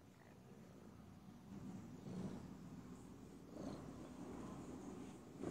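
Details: Domestic cat purring softly, a faint continuous low rumble with gentle swells in loudness, steady throughout with a light hiss of background noise.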